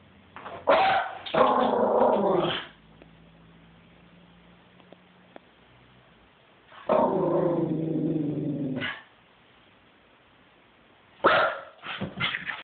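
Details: Dog reacting to feral cats, recorded on an Android phone: a burst of rough barks turning into a long growling rumble, quiet pause, another drawn-out growl, then quick yips near the end.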